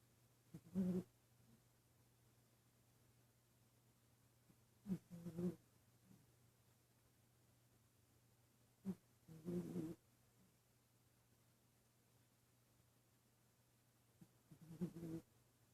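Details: A female dog asleep in an office, dreaming: soft, low snoring breaths come in short double bursts about every four to five seconds, separated by near silence over a faint steady hum.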